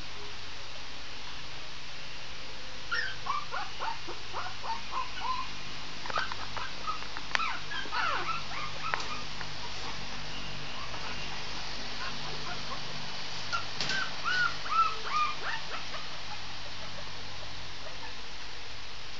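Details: Howling Shih Tzu puppy giving bursts of short, high-pitched whines and yips, clustered thickly in the middle and again near the end, over a quiet indoor hum with occasional taps.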